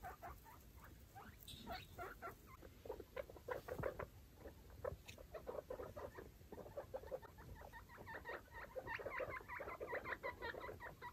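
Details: Five baby foster guinea pigs and their mother exploring a freshly cleaned cage; a rapid, steady stream of short, low squeaky notes, several per second, with soft rustling of bedding underneath.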